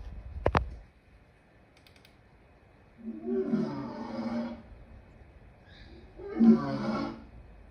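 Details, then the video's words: Lion giving two quieter, breathy roars about three seconds apart, low and rasping, preceded by a sharp click near the start. "Lion sounds part 2"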